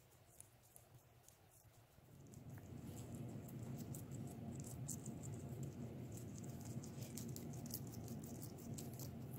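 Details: Guinea pigs crunching vegetables indoors: after two quiet seconds, dense crisp crackling clicks of chewing fill the rest, over a steady low hum.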